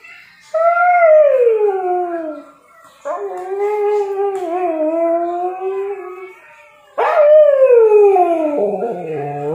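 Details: A sleepy Siberian Husky gives three long, mournful howls, each sliding slowly downward in pitch.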